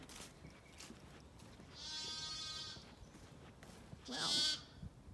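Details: A Zwartbles lamb, left behind and missing from its flock returning to the garden paddock for the night on a farm in County Kilkenny, Ireland, bleats loudly twice, a bright quavering cry rich in harmonics.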